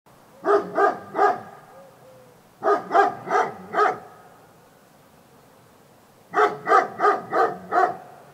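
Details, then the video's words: Dog barking in three quick bursts of three to five sharp, harmonic barks, separated by pauses of about two seconds, over a quiet background. "Dog Barking"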